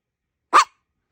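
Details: A Chihuahua-Maltese mix dog barks once while begging to be given something: a single short, bright, abrupt yap in a quiet small room.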